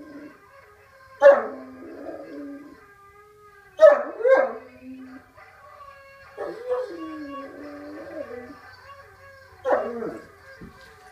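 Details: Irish Wolfhound howling lazily, scattered short yelping bursts several seconds apart, each followed by a low, quiet wavering moan, with long soft gaps between.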